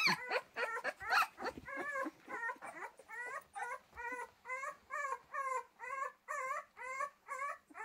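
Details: Pyrenean Mountain Dog puppy whimpering in a steady series, each short wavering whine repeated about twice a second over a constant background hiss, with a rougher, louder cluster at the start.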